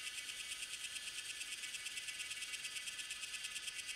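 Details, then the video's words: Tanna viridis cicada singing in Taiwan in May or June, at Lianhuachi or Dasyueshan, recorded with a Sony A7s3 and Rode VideoMic NTG: a dense high buzzing chorus pulsing steadily about three times a second, with no other sounds. "小暮蟬 蟬鳴聲 / Tanna viridis - Cicadas in Taiwan"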